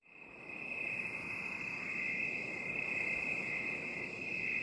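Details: Crickets in a binaural 8D relaxation recording: a steady, unbroken high-pitched shrill trill holds at one pitch throughout, with a soft hiss beneath and no other clear sounds.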